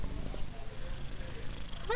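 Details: Taffy, a female pet cat said to purr like a helicopter, gives a steady low rumbling purr with a soft voice talking over it and a brief rising tone at the very end.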